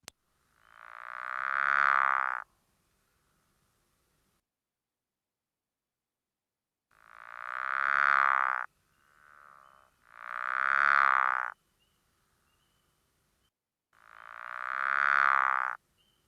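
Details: Pickerel frog, an April–May breeder of the Chicago region, calls underwater from an inflated vocal pouch: low snoring croaks of about two seconds, likened to a meow or an angry cow, repeated with long pauses.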